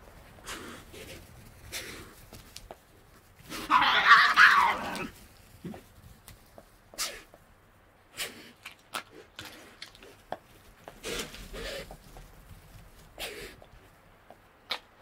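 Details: Wild Tasmanian devils feeding at night in the Tasmanian bush: a single harsh, rasping snarl lasting just over a second stands out midway, surrounded by scattered sharp clicks and crunching noises from feeding over quiet background.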